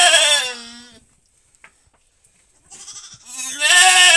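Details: Goat in labour, assisted by its keeper as its kid is born, gives a loud wavering bleat, falls silent for about two seconds, then a softer short bleat leads into another strong, tremulous one.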